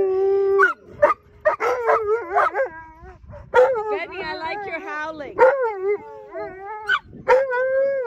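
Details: Excited Alaskan Malamutes and a Labrador Retriever howl together while waiting to run as a team at sled dog land training in Ontario. Quick yelping onsets lead into wavering howls, and several dogs' voices layer into a chorus.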